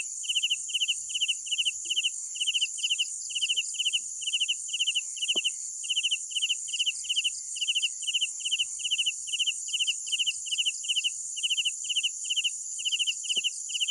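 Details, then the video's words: Night crickets give steady rhythmic chirps, each a quick trill of three or four pulses, repeated roughly every half second against a dense, continuous high-pitched background chorus of other insects. "Sounds of Night Crickets"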